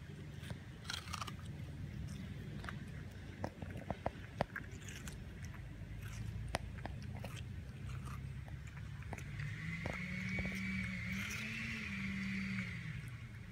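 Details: Puppy eating watermelon indoors in a small room, with wet, crunchy bites and chewing in quick irregular succession, about three per second. A sustained wavering tone enters near the end.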